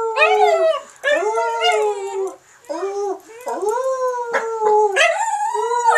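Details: Dog Charlotte howls after her people howl; quick series of arching, quavering howl notes with strong overtones, rising then dipping, about six short phrases in a few seconds.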